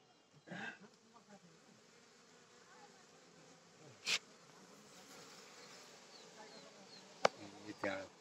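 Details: Honey bees at a home in Rampur, Palpa, during honey harvesting: a steady, dense buzzing hum fills the whole recording, broken by a few sharp knocks and clicks near the fourth and seventh seconds.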